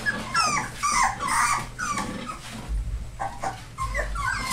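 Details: Young rescue puppies of Labrador/Hound mix, four weeks old, whine in quick downward-sliding squeals, about two a second, with a thump and rustling partway through.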